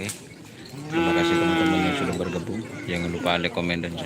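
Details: Trained racing cattle at a Karapan Sapi bull-racing contest on Madura, East Java, Indonesia. A single sustained, tonal moo of about a second rises out of the crowd, then voices and clattering take over.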